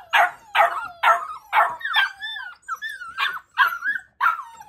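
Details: Labrador Retriever puppies barking: sharp high yelping barks roughly every half second, mixed with thin rising and falling whiny squeals between them.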